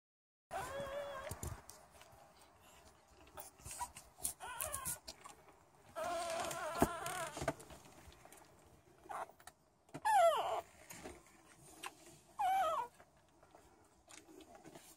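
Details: American Staffordshire Terrier two days after giving birth: thin, high whining squeals and short sweeping yelps come in scattered bursts over a quiet room background, with soft rustling between calls.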